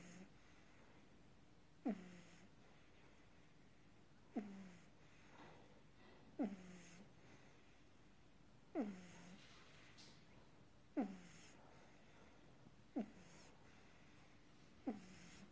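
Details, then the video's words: Pug puppy sleeping indoors; short snorting snores repeat every two seconds or so, each a sharp rasping onset that fades off, over quiet room hiss. "Cute pug puppy sleeping"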